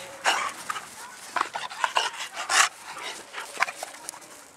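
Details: Breathy, rasping dog panting, with irregular airy bursts and a few louder huffs. The dog is among mastiff-type breeds including English bulldog, bull terrier and American bully.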